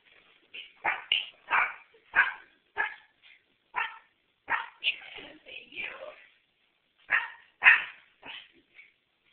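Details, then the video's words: A dog at its first Christmas barking at Santa: a rapid run of sharp, clipped barks, some doubled, with short pauses, then a few more barks after a gap; a person speaks briefly. "Chevy VS Santa"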